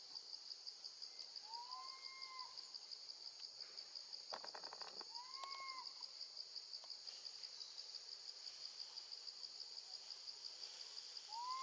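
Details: Female baby monkey left alone with her grandmother, calling for her mother: several drawn-out, arching tonal cries, each rising then falling over about a second, spread across the clip above a steady high cricket drone, with a short burst of rustling noise midway.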